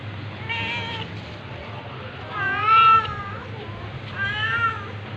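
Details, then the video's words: Cat meows while a tabby cat attacks a ginger cat: three fairly quiet, arching harmonic meows spaced about two seconds apart, the middle one loudest, against a low hum. "Cat's meowing but tabby cat attacking ginger cat"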